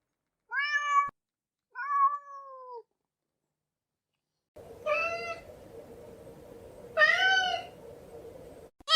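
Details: Four cat meows: two short descending mews close together, then after a pause two more nasal, arching meows over a steady background hum.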